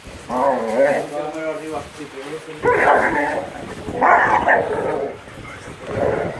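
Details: Great Dane puppies playing rough: a drawn-out, wavering harmonic growl-whine, then three short rough yelping bursts spaced about a second apart, with a human voice also present.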